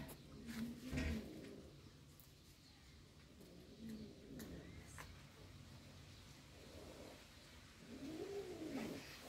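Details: Cat meowing three times, each meow a short arched call that rises then falls, spaced several seconds apart, over a quiet indoor hum with a few soft clicks.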